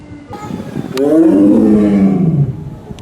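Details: Amur tiger, a male born 2 June 2009 in the USA, kept at Asahiyama Zoo, giving a powerful roar: one long, deep, rising then falling drawn-out bellow of about two seconds, with faint background noise.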